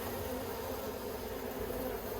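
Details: Steady drone of honey bees around a backyard hive in Australia, October 2021, where the keeper is persisting with plastic frames; a continuous, even buzzing hum without pauses or other clear sounds.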